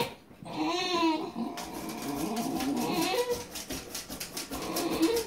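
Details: Basenji crying at squirrels, a wavering, yodel-like whine with tonal harmonics sliding between low and mid pitch, rising and falling over several seconds, with a brief higher squeal near the end.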